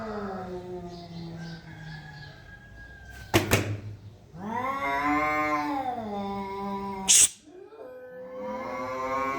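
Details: Two cats in a face-off trade loud, sustained yowls that swoop up and down in pitch. The yowls are broken by sharp clattering knocks, and a short hiss-like burst comes near the end.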